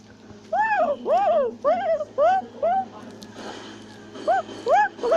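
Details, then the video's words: Tufted capuchin in South America calling while climbing a tree: a rapid run of arched, whiny harmonic cries, about two per second, then a pause and two more rising-falling yelps, over faint background hiss. "Capuchin Monkey is Climbing a Tree While Shouting and Chattering Sounds"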